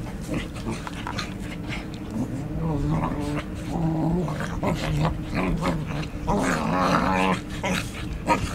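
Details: Two English Cocker Spaniels, Ruby and Bella, playing together in August 2014; low rumbling growls rise and fall through the middle seconds, mixed with scuffling thumps, brief higher yips and steady background noise.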